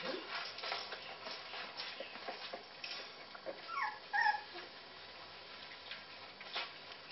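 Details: High descending whimpers from puppies that favour cat food over their own, sparse at first, then a sharp rising yip near the middle, with faint speech and a low hum behind.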